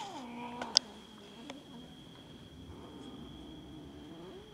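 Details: Domestic cats fighting over food: a brief meow and a sharp knock at the start, then a long low steady growl holding for several seconds.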